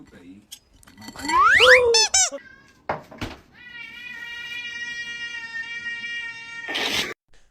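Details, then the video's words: A cat gives a loud rising then falling meow with bright harmonics, followed by a long steady tonal whine, with music and speech around it. "Cute Meows | Cat Sounds"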